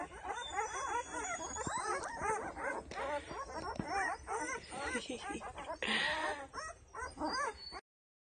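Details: Ten-day-old Doberman puppies from Penelope's litter, eyes just starting to open, fill the recording with rapid, overlapping high squeaky whimpers and short arched squeals, several callers at once, with faint thin whistling tones above.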